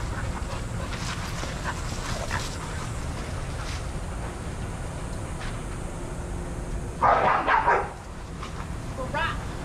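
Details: Adoptable shelter dogs playing and running together at a daycare; after seven seconds of muffled background noise, one loud, sharp bark bursts out and fades within about a second, with softer yips and faint voices around it.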